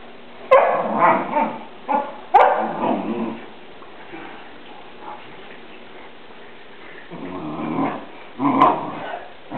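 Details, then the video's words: Two Newfoundland dogs, Murphy and Molly, play fighting: rough growls and barking yips in bursts, a loud cluster in the first three seconds, a quiet gap, then more growling and a sharp bark near the end. "murphy and molly playfighting"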